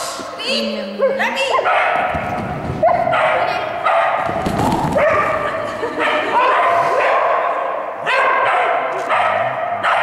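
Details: Border Collie Rika (Tending) from Estonia on an agility run at a seminar in Tallinn, 3 April 2011, giving repeated sharp barks and yips in quick bursts over a handler's shouted commands in an echoing hall.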